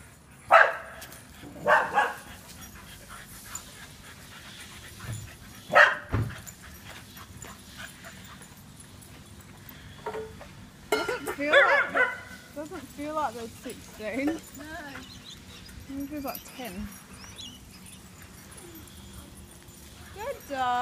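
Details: Dogs at a dog daycare centre in Booragoon, WA: scattered loud, sharp barks, then a run of high, wavering whines and yips, with a low background hum throughout.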